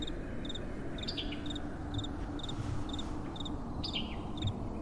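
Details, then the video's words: At night, crickets sound brief, high chirps at a steady beat, roughly two per second, while soft wind roars low and continuous beneath them. "Relaxing Night Time Sounds | Crickets & Soft Wind"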